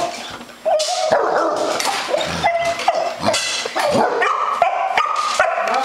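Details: Basset Hounds, a Beagle and an English Setter on a farm at feeding time, barking and yelping in a rapid overlapping chorus of short high yips and whines, with a person calling them over.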